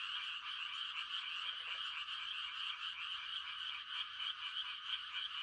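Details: A quiet country night filled with frog mating calls in rice-planting time, a thick continuous high-pitched croaking chorus and one short lower rattled croak near the start.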